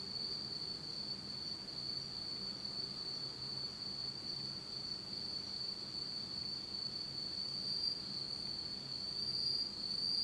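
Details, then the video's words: Insects of the Japanese autumn night heard in total darkness, producing a steady, piercing high trill across the whole stretch, with a few faint higher pulses and low ambient hum. "真っ暗闇の秋の虫の声 Beautiful sound of insects in the fall of Japan in total darkness."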